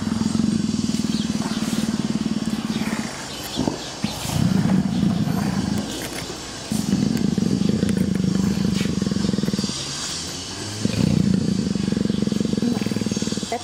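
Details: Captive female leopard in heat, affectionate with her keepers, purring loudly: deep, steady rumbling bursts lasting about two to three seconds, broken by short pauses, with faint background noise and a woman's voice nearby.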